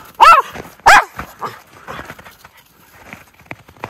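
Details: Two white Miniature Schnauzer brothers, Lucky and Levi, romp through deep snow tunnel trails in Aroostook County, Maine, on January 22, 2023, after two weeks of snowy weather. Two sharp, loud barks half a second apart, then softer scattered yips and snow rustling.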